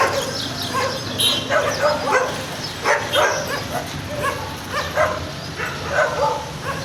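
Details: Several stray garbage dogs bark in bursts, sharp overlapping barks coming in irregular clusters about every half second to a second, with a steady background hiss.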